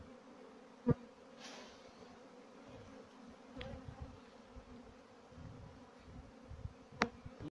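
A honey bee's steady, low droning buzz hums throughout, broken by a few sharp clicks.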